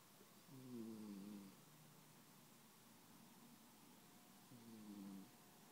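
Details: Snoring from a sleeping cat, two slow breaths about four seconds apart, each a soft descending whistled tone with stacked overtones above a quiet low hiss.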